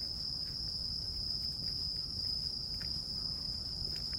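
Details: Crickets and other grass insects keep up one unbroken, shrill, high-pitched trill at an even level, over a constant low background rumble.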